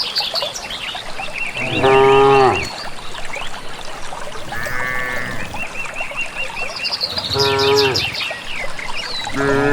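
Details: Village cattle walking calmly unguided toward a green valley pasture, mooing with their natural voices: three strong harmonic moos of about a second each, some rising or bending at the ends, with chirping birds behind throughout.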